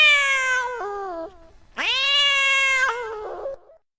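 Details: Domestic cat in heat uttering two long, harmonic-rich meows, the first sliding downward at its end, the second rising sharply then holding a steady tone before a rough, breaking finish.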